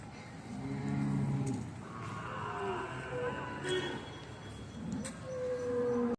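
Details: Two-year-old Buri and Jafarabadi cross buffalo bull at the Sunday buffalo market in Erragadda gives a low, deep, harmonic moo lasting about a second. Market voices, clicks and thin tonal background music run through the scene.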